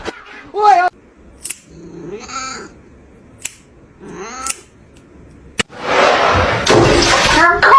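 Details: A domestic cat gives three drawn-out, arching meows with a nasal wail quality, separated by short quiet gaps, before a loud burst of broad noise and clatter fills the final seconds.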